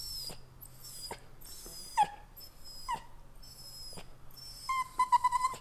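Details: Pet dog crying indoors in the morning while waiting for breakfast: a few short, high whimpers that slide downward, spaced about a second apart, then a quick run of wavering whines at the end over a low steady hum.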